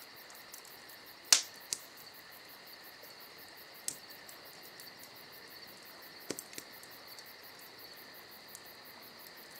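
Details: Crickets keep up a soft, continuous high trill on a summer night while a campfire pops loudly early on and snaps several more times, the crackles standing out over the insect chorus.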